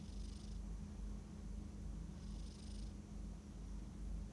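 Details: Domestic cat asleep, with two soft, breathy snoring sounds about two seconds apart over a constant low hum.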